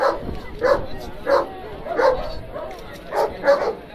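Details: Mastino Napoletano barking at a championship dog show in Kaloor, Kerala, India, February 2015; six loud, gruff barks spaced roughly half a second apart, with faint hall chatter behind.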